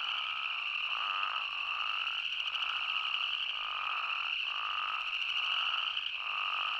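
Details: Arizona spadefoot toad chorus, unedited outdoor recording: repeated nasal bleating notes roughly every second rise and fall over a constant high-pitched drone of many callers, with brief dips between bleats.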